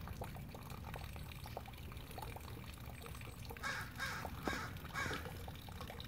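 Partway through, a Douglas squirrel starts calling with coarse, scratchy barks repeated roughly twice a second. A steady low rumble, like wind or running water, fills the background throughout.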